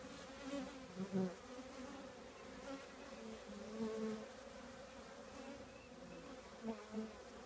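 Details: Honey bees from a colony in an old trash can: a continuous low hum with stacked tones, plus brief louder buzzes as individual bees fly close, clustered near the start and end.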